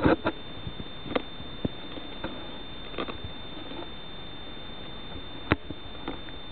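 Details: A mole cricket (Gryllotalpa brachyptera) sings a steady, unbroken high trill, with scattered taps and knocks nearby.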